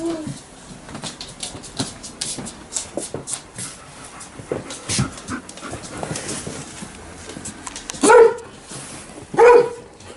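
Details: Alaskan Malamute and Golden Retriever at home, reacting loudly as their owner prepares to leave in the morning: soft whines, clicks and household rustling, then two loud, short barks about a second apart near the end.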